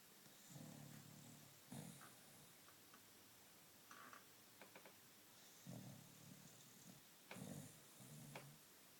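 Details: Jack Russell terrier asleep on his back, snoring: low rumbling snores in a few separate bouts of about one second each, with quiet pauses between them and faint background hiss.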